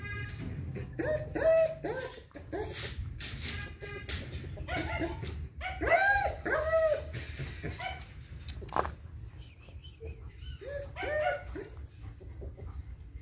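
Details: Eleven-month-old female German Shepherd whining indoors in clustered, tonal, bending yelps that come in bouts every few seconds, over a steady low hum and some background noise.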